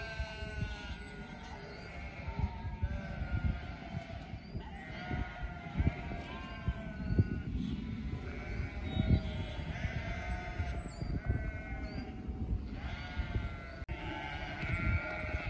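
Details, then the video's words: A flock of sheep bleating, many overlapping wavering calls at once, set against heavy low rumbling noise that resembles wind or handling across the recording. "A FLOCK OF SHEEP"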